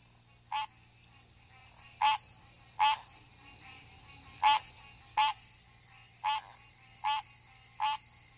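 A green tree frog gives short, nasal, honking calls, repeated roughly once a second over a steady insect drone.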